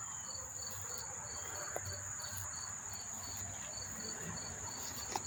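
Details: Chorus of lots of crickets at Monmouth Park, New Jersey, September 4, 2023, recorded up close: evenly spaced pulsed chirps about three per second over a constant shrill trill, with soft low background rumble.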